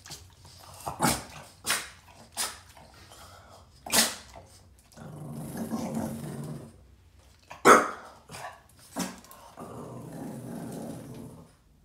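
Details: An angry Boston Terrier barking at a trash can gives sharp single barks about a second apart, with low growling between them.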